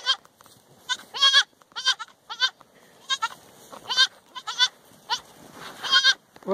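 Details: Boer goat kids on a family farm, playful young goats bleating in short, quavering, nasal cries repeated every half second or so, several overlapping, with a man speaking softly to them.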